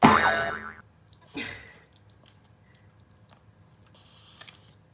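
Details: Pomeranian sneezing, as it has often done lately, possibly from a pollen allergy; one sharp explosive burst opens, then a second softer snort follows about a second later, with faint small clicks afterward.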